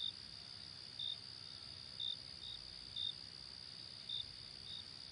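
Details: At night, a cricket gives short, high chirps, repeated about once a second over a steady insect trill.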